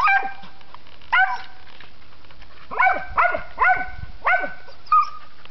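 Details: Squirrel dog barking while treeing a squirrel during a South Dakota squirrel hunting season, 2006-2007; six sharp barks with falling tails, spaced irregularly over five seconds, a man praising the dog in between.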